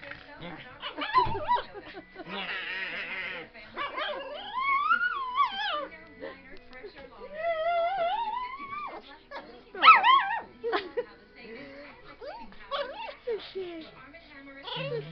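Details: Pet dog Fizzgig, whining because he hates any breeze on his face: several drawn-out, quavering whines rising and falling in pitch, interleaved with a person talking and some brief rustling noise.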